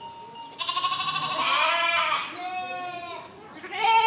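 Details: Sheep (Ovis aries), bleating.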